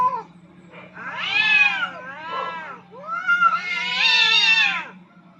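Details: Two aggressive cats fighting for dominance on a rooftop: long wavering yowls rising and falling, a short howl followed by two drawn-out, harmonic-rich wails with a steady low hum beneath.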